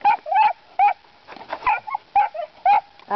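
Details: Puppies getting started baying at hogs: a rapid run of sharp, high yelping barks, about two per second, some doubled, with no other clear sounds.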